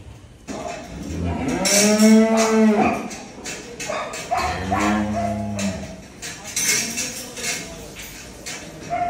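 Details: Large cattle at a Bangladeshi agro farm readied for Qurbani Eid 2024. A strong, rich moo is followed soon after by a second lower, shorter one, against a busy backdrop of clanking and indistinct voices.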